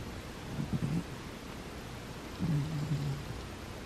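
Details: Sleeping house cat Butters lets out two low, grumbling snores, each under a second long and nearly two seconds apart, over a soft background hiss in a quiet room.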